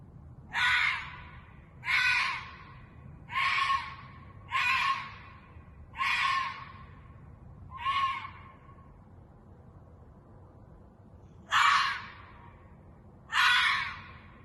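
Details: Ezo red fox screaming in a parking lot in Sapporo, Japan, around 2:30 a.m. on 11 June 2021: eight harsh, rasping half-second shrieks, the first six about every one and a half seconds, then a pause of several seconds before two more, over quiet night background.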